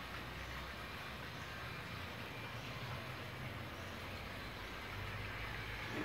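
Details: Steady broadband hiss and rumble like a passing train, with no animal voice.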